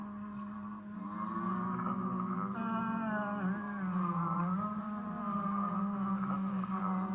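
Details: A person imitating a whale, not a real whale, gives a long, low, wavering moan with a rich, tonal, overtone-laden quality.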